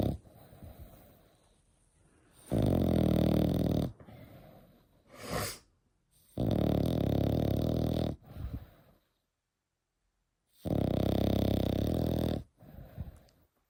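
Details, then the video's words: Sleeping French Bulldog, eight months old, snores in three long, harsh, rattling pulls of about a second and a half each. Between them come short snuffling exhales and brief silent pauses. "8 months old Frenchie |Snoring"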